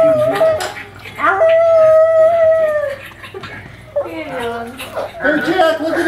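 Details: Indoor pug watching himself on television, letting out a long steady howl held about two seconds, then shorter wavering cries and falling whines, over a low background hum and some human voices.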